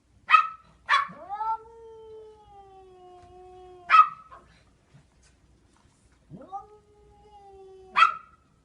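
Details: Overweight domestic cat giving two long, drawn-out, steady-pitched meows, each held for about two to three seconds, punctuated by sharp clicking knocks at the start and end, in an otherwise quiet indoor setting.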